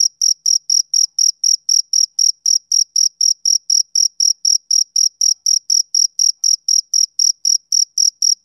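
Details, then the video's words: Male cricket chirping on a summer evening: a clean, high, rhythmic run of short pulsed chirps, about four each second, very steady, with no other sounds. "Cricket Chirping Sound Effect"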